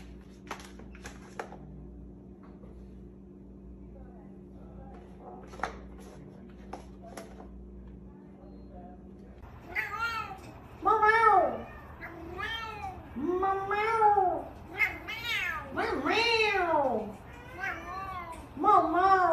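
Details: Domestic cat indoors, a quiet room for the first half, then a run of repeated arched, rising-then-falling meows, several in quick succession, with faint background noise.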